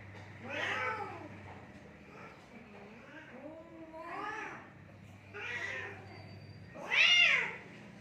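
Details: Fighting cats in Assam, India, trading arched, rising-and-falling yowls with strong harmonics, four main outbursts, the last the loudest and shrillest, over a steady low hum.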